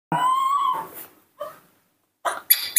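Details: Newborn monkey cared for by a person, crying to ask for milk: one loud, drawn-out harmonic wail of under a second, followed by two short, fainter whimpers and a burst of rustling.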